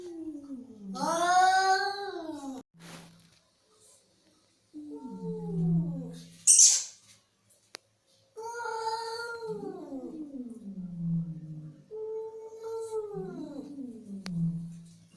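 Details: Angry domestic cat giving four drawn-out yowls, each sliding downward into a growl, separated by pauses, with a sharp clatter near the middle and brief clicks.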